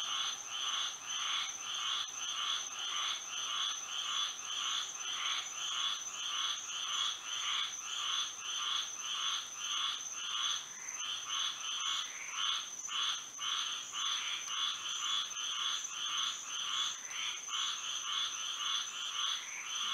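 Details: A Florida night chorus of frogs singing under the moon: continuous rhythmic croaking bursts, close to two per second across twenty seconds, many voices overlapping above a constant high-pitched drone.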